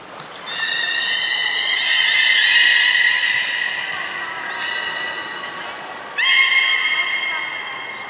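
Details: Beluga whale kept at Nagoya Port Aquarium, Japan, recorded 30 March 2019 during feeding and play. A long, loud, steady harmonic whistle swells and slowly fades. A second sharp whistle starts abruptly near the end, over soft hall noise.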